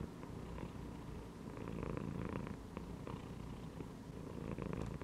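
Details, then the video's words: Relaxed cat lying in a gym belt purrs loudly and continuously: a deep, buzzing rumble with a slight rise and fall in strength, a few soft clicks over it. "CAT CHILLING PURRING AND MEOWING INSIDE THE GYM BELT"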